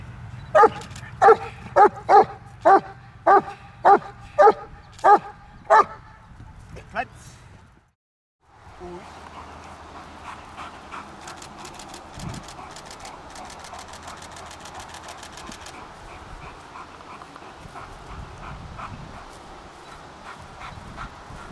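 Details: Trained German Shepherd barking on and off on command: a run of about ten evenly spaced barks over the first seven seconds, then a brief silence followed by softer broadband noise and faint clicking.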